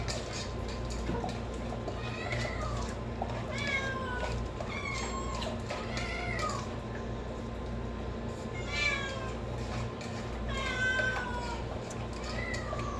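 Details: Kittens and cats meowing: several drawn-out, arching meows follow one another and sometimes overlap, some rising then falling, others short and plaintive, over a steady low hum throughout.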